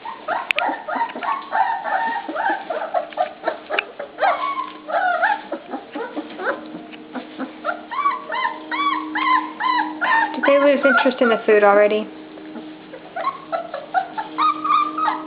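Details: Dinnertime for a litter of pups, with constant excited whimpering and yelping from several animals at once. Rapid quavering cries swell near the end before a brief lull.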